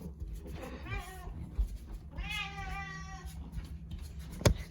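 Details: Karu-chan, a house cat following its owner everywhere, calls twice: a softer meow, then a longer, louder wavering one. Low hum, a few soft knocks and a sharp click near the end.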